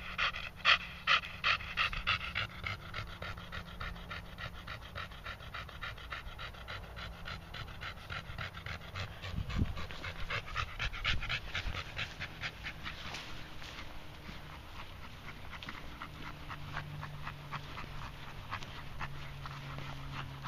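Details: Red Staffordshire Bull Terrier Moses panting after a short walk around a field; quick airy panting, loudest at the start, fading to softer breaths, with a low hum and a brief thump midway.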